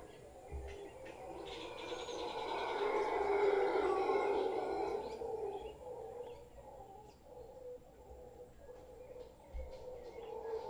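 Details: Howler monkeys, a large troop gathered in a tree by a property in Guanacaste, roar together in a broad, rumbling chorus peaking around the fourth second and then fading, with occasional thumps and distant bird notes.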